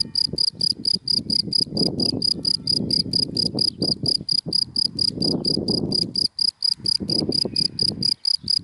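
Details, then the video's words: Cricket in dry grass during the daytime, giving a steady series of short, high, clear chirps at about four per second, with low rumbling noise from passing cars underneath. "Sound of Cricket in Dry Grass in the Daytime"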